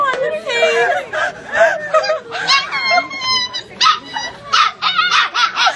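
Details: Dogs fighting, trading wavering, whining yowls and sharp yips in quick, uneven bursts, with the voices overlapping and pitch sliding up and down between brief pauses.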